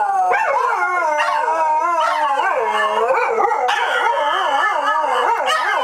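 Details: Dogs howling together on opening day at Dodger Valley: several overlapping wavering, sliding howls rising and falling, some voices wobbling rapidly, sustained throughout.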